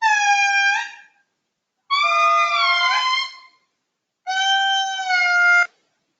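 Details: A wild Indri in Madagascar, recorded from right underneath it off-trail in the forest, gives loud, wailing, harmonic-rich calls in long sustained notes, some bending upward, repeated every couple of seconds.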